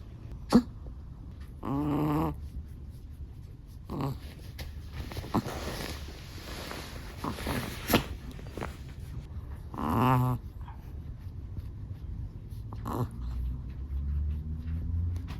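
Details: Long-haired black-and-tan Chihuahua asleep, snoring: low buzzy rattling snores recur every few seconds between quieter wheezy breaths, each snore vibrating for under a second.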